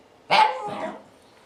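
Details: A Shiba Inu at home "singing" to music: a single short strained howl-bark that starts loud and trails off in under a second.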